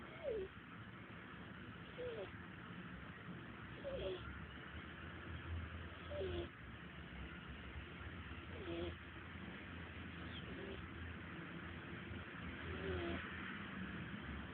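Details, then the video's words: Taylor, a sleeping pet cat, snoring: a soft whistling, falling wheeze with each breath, repeating about every two seconds over a steady low hum and faint background noise. "Taylor the snoring cat"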